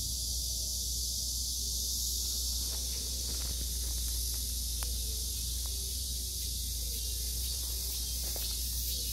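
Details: Cicadas calling around an old tree with a date-plum tree, morning glories, pumpkin leaves and chili peppers nearby: a dense, steady high-pitched buzzing hiss that holds unbroken throughout, over a low constant hum and a few faint rustles.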